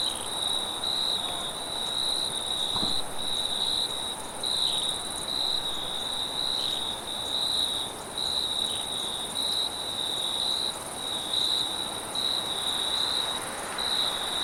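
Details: Crickets at night in the forest, a loud, dense, high trill broken into rapid pulses about once a second, over a faint steady shimmer and soft wind.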